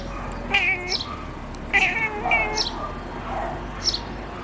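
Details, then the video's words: A black-and-white cat, wanting to catch birds, gives three short, bright chirps with quick rising and falling trills, about a second apart, over a faint steady hiss; finding: Cat. "cat calling birds - chirping sound"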